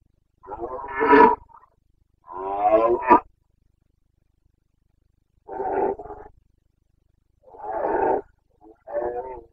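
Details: Carpathian red deer stag bellowing in the Bucovina rut, 29 September 2022: a sequence of five deep, rasping roars, the first two long and swelling, the last three shorter, separated by brief silences.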